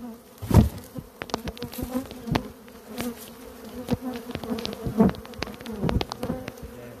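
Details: Loud continuous droning buzz from an Africanized honey bee colony living in a cable pedestal, a deep layered hum broken by frequent sharp taps and thumps close by.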